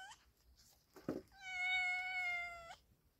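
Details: Male cat mating with a pregnant female cat: a single long, steady, drawn-out meow lasting over a second, richly harmonic and flat in pitch, ending abruptly, after a short thump.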